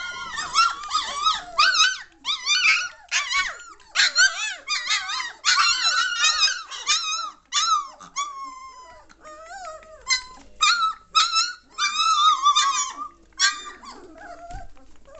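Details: Noisy three-week-old German Shorthaired Pointer pups from the 2014 litter, squealing and yelping almost continuously, with a few longer drawn-out whines standing alone between clustered high-pitched bursts.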